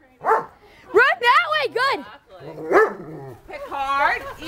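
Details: Pet dog barking and yelping in short bursts, some notes rising and falling in pitch, while a person speaks and gives commands around it.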